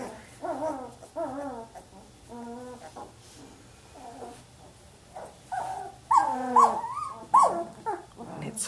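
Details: Samoyed puppies, 18 days old, one making soft moaning sounds in sleep before waking itself; wavering harmonic whimper-moans in short bends, several in a row, followed by brighter squeaky cries and a woman's voice.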